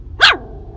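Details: Heather, a seven-week-old female Maltese puppy, gives a single short high-pitched yap, rising then falling quickly, lasting about a fifth of a second, with quiet room background.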